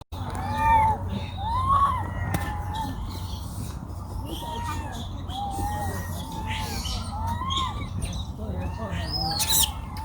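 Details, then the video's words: Baby monkey crying loudly in a forest in China: a run of thin, arching whimpers that rise and fall, repeated about once a second, over a steady low rumble in the background. "Very sad sound of Pity baby monkey crying"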